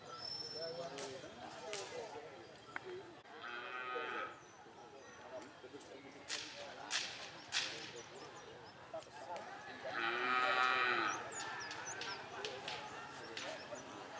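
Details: Racing cattle at Karapan Sapi bull-race training for the Galis and Blega districts, Banyubunih field, Bangkalan, Madura, East Java, Indonesia; two drawn-out, harmonic lowing calls near four and ten seconds over busy crowd chatter and sharp clicks.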